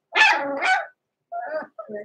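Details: Six-week-old blenheim Cavalier King Charles Spaniel puppies, Roman and Blue, born November 14, 2022, in an indoor puppy pen. One loud, rough bark, then two shorter, softer yelping barks after a brief pause.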